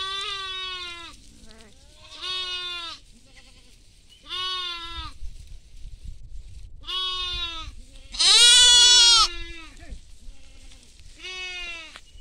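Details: Goats bleat repeatedly in a field with sheep at feeding time, each nasal, wavering cry lasting about a second with pauses between.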